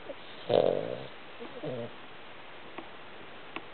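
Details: Sleeping Cavalier King Charles Spaniel snoring with a Chihuahua curled up beside it: a loud, rough, breathy snort near the start, then a softer rasping breath about a second later, and quiet room hush between.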